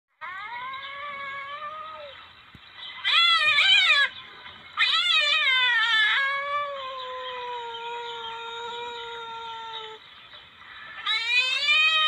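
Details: Palm civet calls from a recording used as a hunting lure: loud, wavering, harmonic-rich yowls in bursts, separated by long, steady, slightly falling whines. There is no background noise.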